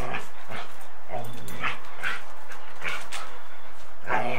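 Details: Two dogs, a Golden Retriever and a Samoyed, wrestle in bitey-face play and chase; captured on 8mm tape, brief harmonic growls and whines pop up every half second or so against constant hiss.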